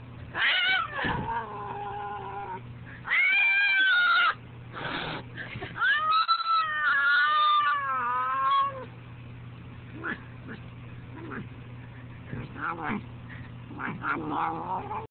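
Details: An angry fat house cat yowling in a series of harsh, wavering cries, several loud bursts in the first nine seconds, then softer broken moans and short chirps, over a steady low electrical hum.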